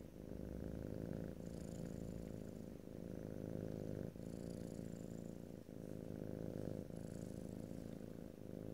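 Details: Close-miked pet cat purr in stereo, no talking: a continuous low rumble alternating between inhale and exhale phases roughly every one and a half seconds, with occasional soft high hissing breath noise.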